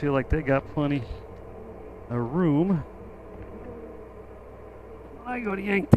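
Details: Honey bees around an opened hive during an inspection at "The Mountain"; loud, wavering buzzes of individual bees flying close past, swelling and dipping in pitch, over a softer continuous colony hum.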